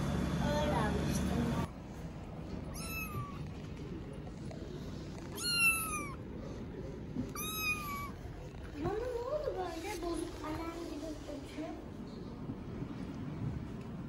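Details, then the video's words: Homeless street kittens in Istanbul, fed daily and no longer afraid of people, give several high, bending meows in short series, with human speech and street noise underneath and a lower drawn-out mew near the end. "Homeless kittens are no longer afraid of me"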